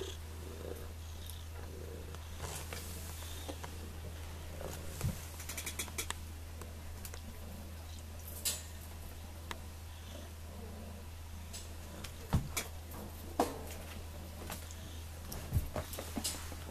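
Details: Sonny, a cat available for adoption at the Sullivan, Missouri pound, purring indoors: a steady low droning rumble runs through the whole recording, with scattered soft clicks and knocks on top.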